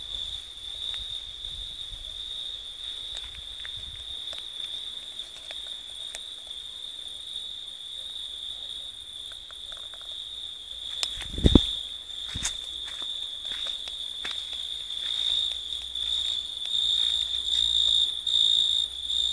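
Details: Insect chorus of grasshoppers, crickets and lacewings: a steady high, thin continuous trill holding one pitch throughout, with a fainter higher overtone, scattered clicks and a brief louder knock midway.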